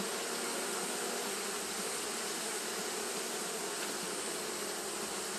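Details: On a hot day, Japanese honey bees keep up fanning behaviour. A constant loud humming buzz with a steady low pitch runs throughout, dense and unbroken, with no other clear sounds.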